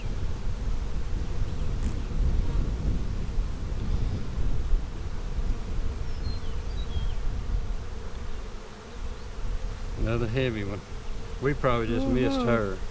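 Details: Colony of honey bees, part of a main hive split three ways on March 4, buzzing as frames are inspected on 15 April 2017. An even low hum lasts about ten seconds before people's speech takes over.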